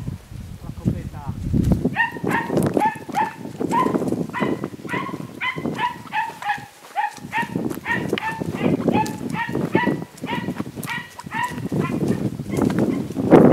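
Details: Podenco Andaluz hound recorded 3 December 2011: a dense run of sharp, high yelping barks, roughly two per second with brief pauses, continuing throughout, over low rustling and human voices.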